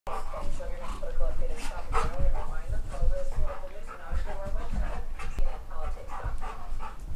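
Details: Three dogs, Geordie, Ellie and Max, playing together: wavering, whiny growl-like tones repeat in quick runs over heavy low thumps and scuffling, with a human voice calling out.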